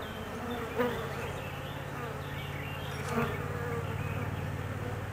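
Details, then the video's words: Anxious honey bee colony buzzing while its queen is out on her mating flight for 45 minutes; a continuous droning hum over a low steady rumble, with brief louder passes. "Queen of honeybees Reine des abeilles"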